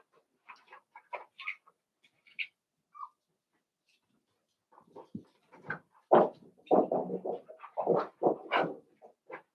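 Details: Eight Cavalier King Charles Spaniel puppies indoors, from two litters just merged together to play. Scattered short high yips and whimpers at first, then a denser burst of louder overlapping squeals and yelps in the second half.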